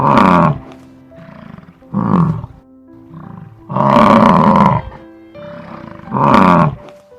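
A bison gives deep, rough bellows about every two seconds over background music.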